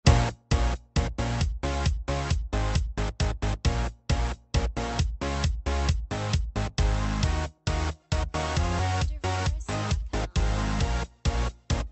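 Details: Loud electronic dance music with choppy, repeated beats and brief gaps; no animal sound heard.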